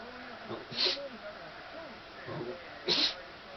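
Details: Shetland Sheepdog sneezing while angry, reportedly upset by the sound of baseball cheering; two sharp, hissing sneezes about two seconds apart, with a person talking quietly throughout.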